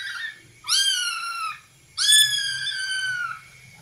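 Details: Two loud, drawn-out kitten meows, each close to a second long, starting with a quick upward slide then holding a steady high pitch before fading, while the kittens play.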